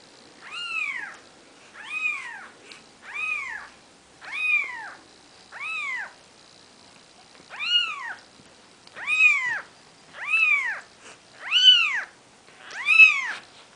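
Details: Maine Coon kittens on their fourth day of life, from the 'Seven Dwarfs' litter, with mother Nikita nearby. Ten clear, high arching mews repeat about every 1.3 seconds in a quiet room, growing slightly louder toward the end.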